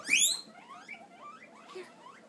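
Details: Pet guinea pigs kept in a home den wheek loudly, a burst of shrill rising squeals followed by quieter repeated whistling squeaks as food is given.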